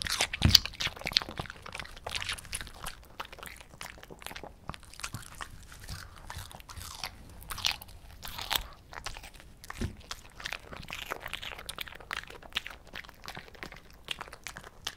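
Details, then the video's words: Potato, a greedy five-year-old female Shih Tzu, keeps chewing cucumber at close range indoors; dense, bright crackly crunches come in quick irregular bursts for fifteen seconds. "오이 먹방 이팅사운드 (Cucumber Mukbang Eating Sound)"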